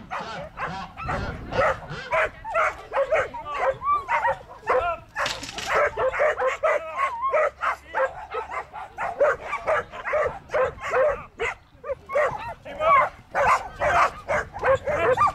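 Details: Border collie barking in a rapid, almost unbroken stream of sharp, high barks and yelping cries, several per second, some with a whining upward slide, sustained for fifteen seconds.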